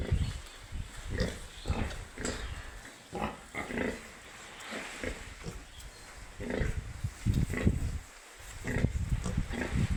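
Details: Piglets on a farm giving rough, low, irregular grunts with occasional brighter squeaks, separated by brief pauses, louder near the end.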